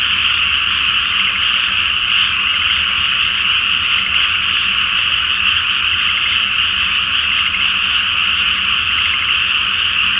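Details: Nighttime frog chorus over a flooded rice field awaiting planting, full moon on the water: a thick, even blanket of high trilling croaks, individual pulses occasionally standing out, steady for ten seconds.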